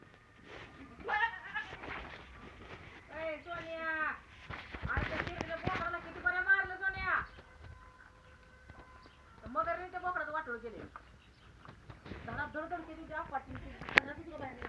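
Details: Domestic goat bleating repeatedly, quavering, wavering bleats in several bursts a second or two apart, some overlapping, with faint voices in the background.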